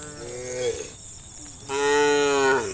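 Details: A cow in a herd of hundreds of tame cows being driven through a village toward green fields in the morning gives two drawn-out, harmonic moos, the second louder and steadier than the first.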